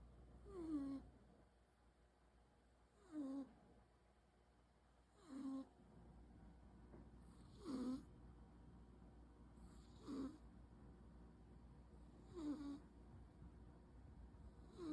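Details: Munchkin cat snoring: soft, short nasal snorts repeated about every two and a half seconds, each a brief falling puff with quiet breathing between, in a calm room.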